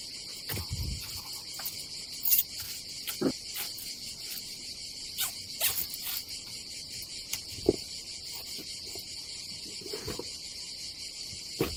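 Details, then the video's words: Summer cicada chorus at a seaside campsite in Croatia, a continuous shrill hum holding one pitch for the whole stretch, with scattered sharp clicks and taps from gear being handled nearby. "Silent ASMR vlog with nature cicadas sound"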